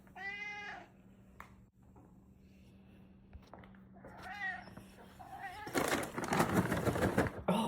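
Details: Female Ragdoll cat indoors vocalising to show her owner what she wants: a clear meow at the start, a second softer meow midway, then loud rustling and handling noise with a woman talking.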